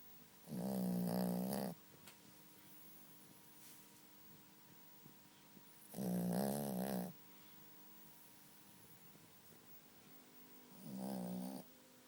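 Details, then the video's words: Small dog snoring while asleep indoors: three loud, rattling, buzzy snores with a low harmonic tone, roughly every five seconds, separated by quiet stretches of faint room hum. "Mi perrito roncando"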